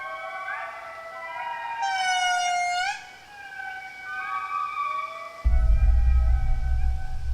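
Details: An Indri family group in Madagascar forest gives its morning chorus of long, wailing, siren-like notes that glide up and down, audible over 2 km away, marking territory and warning other Indri to keep their distance.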